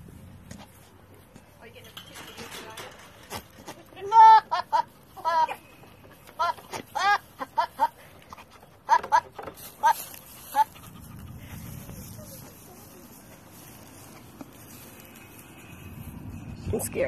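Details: A female three-legged pygmy goat at an animal sanctuary, in heat, gives a run of short, wavering bleats that sound like laughter.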